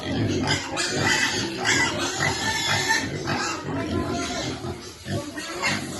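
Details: Grunting pig with suckling piglets, a thick rhythmic stream of low oinks and snorts, joined by a few higher squeals and a murmur of voices and faint music behind.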